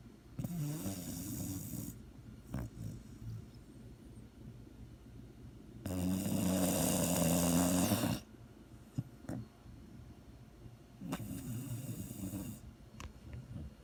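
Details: Snoring from a sleeping dog: three drawn-out, throaty rattling breaths a few seconds apart, each low and grating with a hissy edge, separated by quiet intervals with faint soft clicks.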